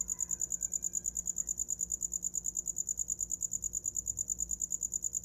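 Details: Steady high-pitched cricket trill heard as a sleep sound, rapid regular pulses about three each second, with brief faint whistled notes early on and low background hum.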